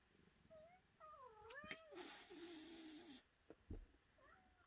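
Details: Domestic cat giving wavering, warbling meows that rise and fall, one long drawn-out cry, plus a brief hiss-like burst and a couple of knocks.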